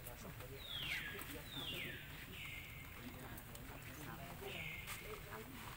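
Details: Baby monkey Lucie crying loudly at its mother after being refused milk: a series of four high, drawn-out screeching wails, each sliding downward and then holding steady, spaced about a second apart over low background rumble.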